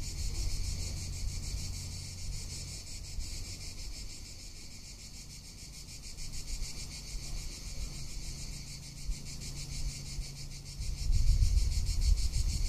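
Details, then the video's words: Tuscan summer cicadas producing an unbroken, high, pulsing buzz, while gusts of wind swell and fade underneath and grow louder toward the end. "Cicada or Cigarra - Sounds of summer in Tuscany"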